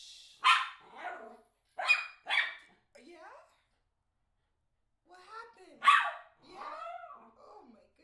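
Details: Young male miniature schnauzer, eight months, worked up about a certain ball: a string of loud, gruff barks, three early and one later, mixed with a person speaking and coaxing him.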